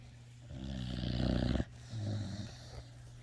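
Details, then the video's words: Puppy asleep, giving a long, low, grumbling snore for about a second, then a softer, shorter rasp on the next breath, set against a constant low electrical hum. "Snoring puppy is just too tiyerd"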